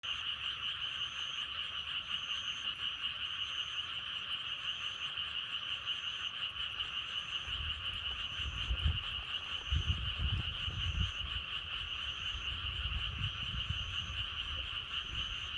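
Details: Frogs calling in a dense, unbroken chorus, a steady shimmering trill with no gaps, with wind accompanying them. Short high tones repeat about every second and a half, and low gusts of wind rumble in the second half.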